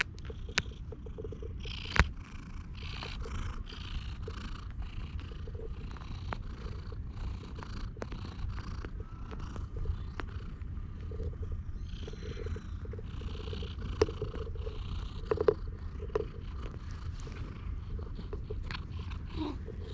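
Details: A stray cat perched on a lap at a park bench purrs continuously while being petted, recorded with a GoPro; the deep, even rumble is broken by a few sharp taps and rustles from handling.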